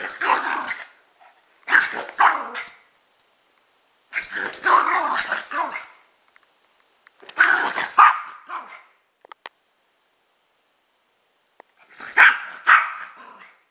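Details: Mixed-breed pet dogs, a chihuahua/pug cross and a rat terrier/pitbull/jack russell/beagle cross, barking in short clusters of one or two rough barks every two to four seconds, with gaps of silence.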